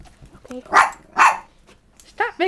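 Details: Beagle housed with two-year-old chihuahua sisters Snap and Xena barks twice, each bark hoarse and about a quarter second long, half a second apart, followed by a woman speaking.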